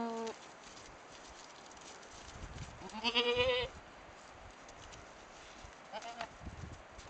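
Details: Boer goat bleats during headbutting practice between two young females, one purebred Boer and one half Boer half Nubian, two years old: a short bleat at the start, then a louder wavering bleat around three seconds, and a faint later one.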